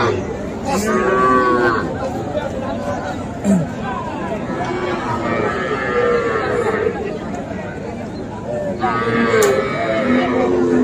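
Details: Young cattle, small bulls and heifer calves, at a livestock market in Comilla, Bangladesh, on 13 September: drawn-out, harmonic moos near the start and again near the end, over constant crowd chatter and nearby speech.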